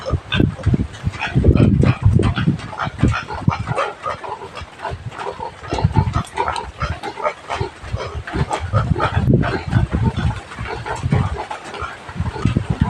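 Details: Native pig on a rural farm in the Philippines, fed taro (gabi): low repeated grunts and snorts in bursts, with clicking, chewing-like noises and faint voices throughout.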